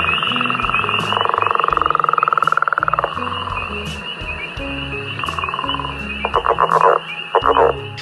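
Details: A northern leopard frog from the Calgary area gives a long, rapidly pulsed, rattling snore of about two seconds, then a few short, knocking chuckles, over a steady high whine and faint low tones.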